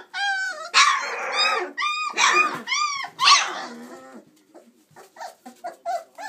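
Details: Playing chocolate Labrador Retriever puppies at 26 days old, indoors; a run of loud, high arched yelps and squeals in the first four seconds, then fainter short squeaks and shuffling.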